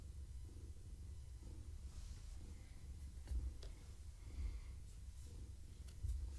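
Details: Indoors in the evening, the pregnant long-haired tabby Gaia rumbles in a deep, even purr under petting and skritches, with breath-paced swells and a few soft bumps of handling.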